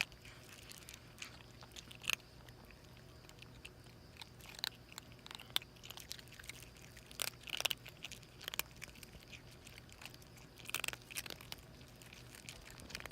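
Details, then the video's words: A stray mother cat with her two kittens gulps food hungrily. Soft, irregular chewing and crunching continue throughout, with scattered louder bites and short pauses over a faint low background hum. "허겁지겁 먹는 길냥이 세모녀 hungry little cat with her kittens"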